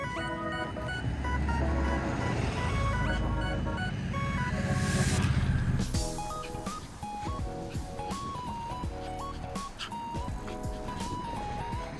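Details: A repeating jingle tune plays from a loudspeaker over traffic rumble and street noise.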